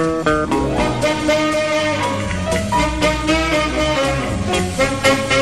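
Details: Lively swing-style jazz with plucked guitar and a driving beat fills the whole recording, with no animal heard.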